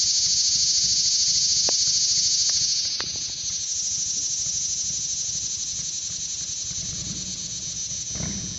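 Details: A cicada on a stop-sign pole in summer, recorded about two feet away while it climbs, gives a loud, ear-piercing, steady high-pitched buzz that drones on without a break.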